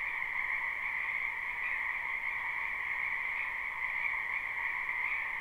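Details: Dense live chorus of many frogs in a springtime wetland, their buzzing trills blending into a steady two-pitched drone that never breaks across the short stretch.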